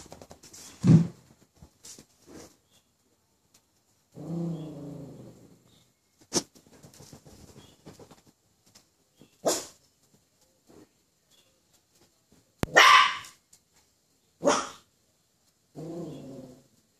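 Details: Poodle frightened by a toy poodle, giving sharp single barks spaced a few seconds apart, with a lower grumbling, growl-like stretch between them in a quiet indoor setting.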